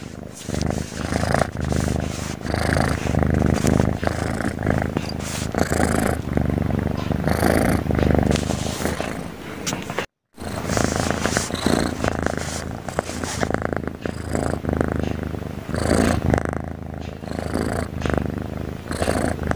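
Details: Steady snoring from a sleeping cat, a continuous low rattling rumble repeating with each breath, broken by a momentary silence midway.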